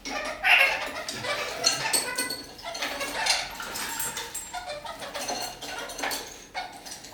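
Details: Indoor kakariki singing while hanging upside down from a ceiling: a sharp, high squeak opens a stream of scratchy chattering notes and clicks, repeated irregularly, with faint room noise.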